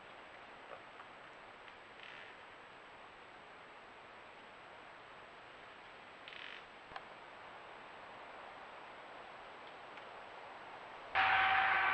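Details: Steady hiss with a few faint rustles, a click, and a sudden loud burst of noise near the end. No animal voice is heard.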